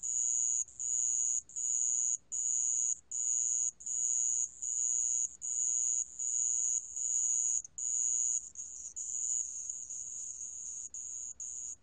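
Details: Sand cricket from a 2020 national biological resources collection: shrill, very high pulsed bursts repeated at an even pace for about eight seconds, then a softer, continuous high buzzing trill to the end.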